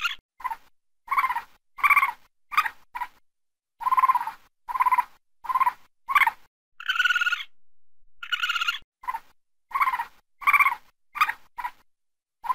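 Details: A raccoon, said to be calling at night, gives short, harsh barks in an uneven series, with a couple of longer, higher whining calls.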